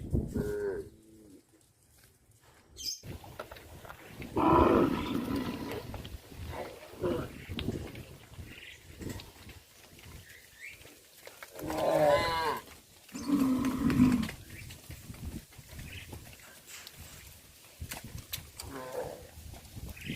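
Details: Livestock cows walked back to the pen along a fish pond, giving several loud moos spaced a few seconds apart, some rising and falling, with shuffling footsteps and background noise between calls.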